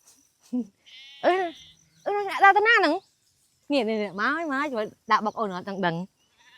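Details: Sheep bleat repeatedly in wavering, quavering bursts of varying length, some rising and falling, separated by short gaps. Faint human voices are mixed in among the calls.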